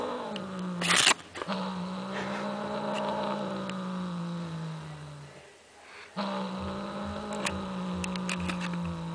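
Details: An angry, irritated cat voicing a long, low, moaning growl with a drawn-out howling tone. The sound fades near the middle, then resumes just as long and steady. Brief rustles and clicks are heard around it.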